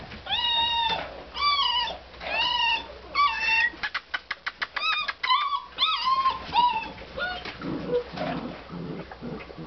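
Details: Basset Hound puppies, recorded in 2009, whine in high, arching cries, with a quick run of clicks midway.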